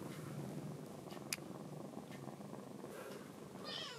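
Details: Kuromame, a rescued baby kitten in foster care, tucks its paw away to avoid nail clipping; a continuous low purr fills the clip, with a sharp click near the middle and a brief rising meow at the end.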